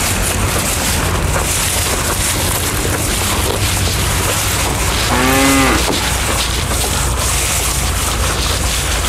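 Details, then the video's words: A bull eating elephant grass lets out one short moo of about half a second, a slightly arched tone rich in harmonics, midway through. Steady, loud broadband background noise continues throughout. "SUARA SAPI JANTAN MAKAN RUMPUT GAJAH 30 MENIT | SUARA SAPI MOO"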